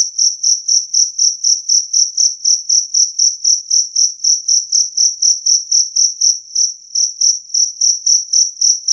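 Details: Jangkrik kalung, the two-spotted cricket, sounding clear and loud for scaring off rats; shrill pulsed chirps at a steady four per second, slightly weaker near the end, nothing else audible.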